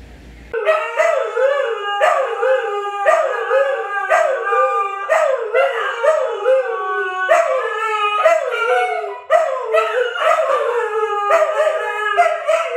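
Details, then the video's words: Siberian Husky howls from Luna, Gizmo, Arya or their puppies: a series of wavering, bending howls repeated roughly every second, rich layered tones, sustained and loud after a quiet start. "SIberian Husky Howling"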